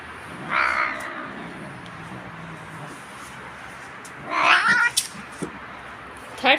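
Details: Pet cat meowing while being brushed: two strained, wavering meows a few seconds apart, the second louder and rougher, over quiet room background with a woman's voice nearby.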